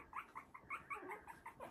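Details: Three-week-old Havanese puppies at play in an enlarged whelping box; a quick run of high squeaky yips, about five per second, each a short rising-falling chirp.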